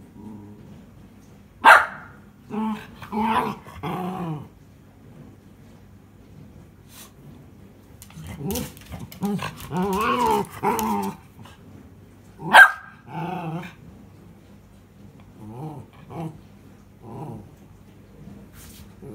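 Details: Indoors, a pet Miniature Schnauzer that loves its ball demands a throw with bursts of rumbling, grumbling growl-barks in short groups, separated by pauses, with two sharp knocks early and midway.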